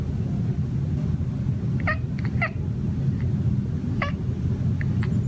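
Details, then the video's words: A male house cat on a patio, stalking birds, utters brief chirping mutters, two quick ones near two seconds and another near four, with faint softer bits after, against a steady deep rumble. "My cat mumbles to himself while hunting birds on the patio."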